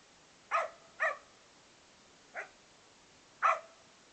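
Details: Male Australian Cattle Dog/English Setter cross at play gives four short barks, two close together, then a softer one and a final loud bark, separated by pauses of up to a second in a quiet indoor setting.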